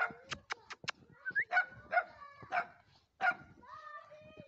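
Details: Dogs bark in short, harsh bursts roughly every half second, mixed with a person's Romanian speech addressing them affectionately.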